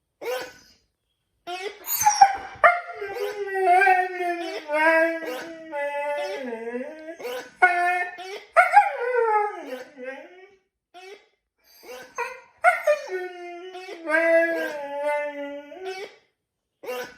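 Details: A Siberian Husky named Niko, who rarely howls, howls in wavering, yodel-like bursts that slide up and down in pitch, set off by a new dog toy.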